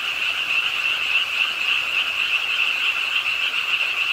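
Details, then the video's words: Many frogs call from a park pond in Suwon's Ingye Art Park late on a rainy night, their croaking starting with the rainfall; rapid high trills merge into one constant, even, ringing chorus. "비오는 밤 개구리소리, Do you hear the frogs? 비오는 밤 공원 연못 추억의 개구리 소리, Frog Sounds, 빗소리와 함께 듣는 개구리 우는 소리"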